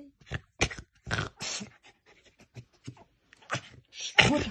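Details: A tame, domesticated female red fox stands her ground in a defensive display, giving harsh chattering bursts and raspy screams.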